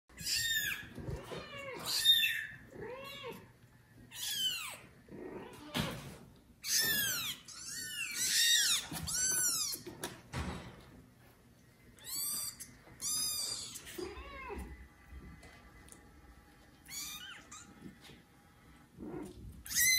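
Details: Kitten from a litter of four born to mother cat Judy, calling loudly for its mother; repeated high, arching meows in irregular bursts, some overlapping, with short quiet gaps between calls indoors.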